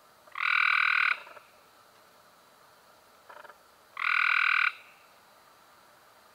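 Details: Cope's gray treefrog calling in May 2016, two loud harsh buzzy trills each under a second long, about three seconds apart, with a fainter distant trill between them.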